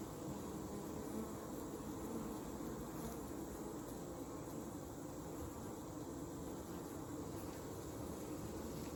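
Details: Western honey bee (Apis mellifera) hive on a hot summer evening, 8 August 2020, on a farm in Alexander County, North Carolina, giving off a steady, low, even hum from countless beating wings.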